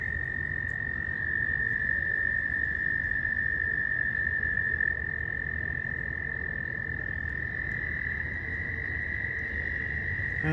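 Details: A pond chorus of frogs, seen swimming in a small pool, holds an unbroken, high-pitched trill, thought to be mating-season calling, as wind picks up before spring; low wind gusts rumble beneath and a person speaks briefly.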